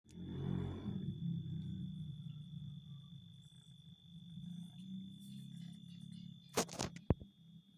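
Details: Domestic cat growling like a tiger: a low, rumbling, continuous growl that is loudest in the first second, then holds steady throughout, with a couple of sharp clicks near the end.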